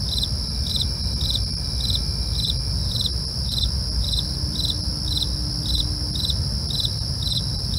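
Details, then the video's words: At night, crickets give a steady rhythm of high chirps about every 0.4 seconds alongside continuous piercing trills, over a low rumbling background with a faint passing whine. "night crickets asmr"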